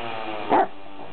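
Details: One brief, muffled bark from a Leonberger at a puppy playdate, set against a faint droning background, just before someone tells Enzo the others will be back.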